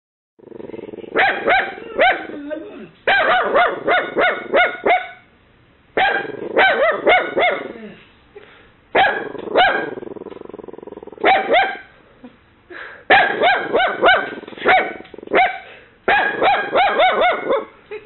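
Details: Kaylee, a mini Dachshund puppy, barks shrilly at an imagined intruder after a knock. Quick bursts of three to six high, ringing barks, separated by short pauses, fill the recording. A Boxer named Brutus shares the house.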